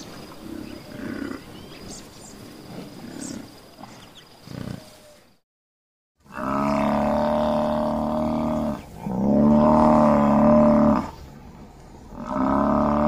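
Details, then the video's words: Buffalo growling in long, steady, droning bellows with strong harmonics, three loud bursts of about two to three seconds each after a quieter, rumbling opening and a brief silence. "BUFFALO SOUND Video, buffalo growl"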